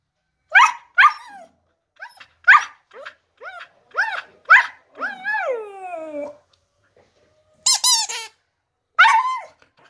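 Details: Singing husky: a run of short rising yips and whines, then one long sliding howl that falls away, and after a pause two sharp high yelps.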